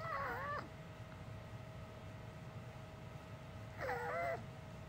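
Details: Two short whimpering, speech-like cries from Uni, a dog that has always made human-sounding noises instead of woofs, separated by several seconds of low steady background hum indoors.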